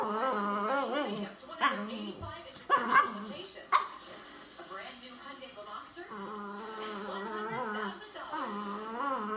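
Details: French Bulldog complaining: long, wavering, talk-like moans that rise and fall in pitch, delivered in drawn-out runs with brief pauses, with a few sharper yelps between two and four seconds.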